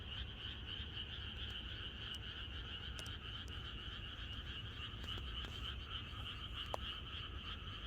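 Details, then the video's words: Many frogs croak together in a countryside chorus on the night before rain in Korea, a dense continuous pulsing drone in two bright bands, with scattered clicks and a low background rumble throughout. "개구리들의합창#비가 오려나?이것이 자연의 소리 ~개구리들의 합창"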